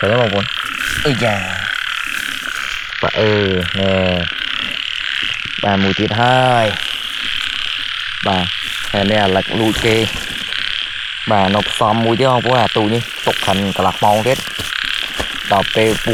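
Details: First-rain frog chorus at the start of the year in Cambodia, heard while frogs are caught: dense runs of rolling, harmonic croaks, many overlapping, some long rattling bursts, beneath a continuous buzzing insect layer.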